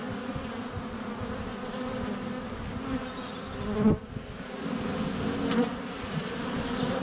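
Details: ['Swarm of honey bees at the hive entrance in February sunshine, GoPro Hero 7 Black close by: even humming buzz broken by a sharp knock around four seconds, likely a bee landing on the camera, then droning resumes.']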